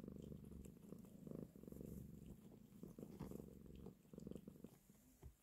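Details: Low, throbbing purr from a mother cat as she nurses and caresses her kittens, the rumble pausing briefly between breaths in a regular pattern.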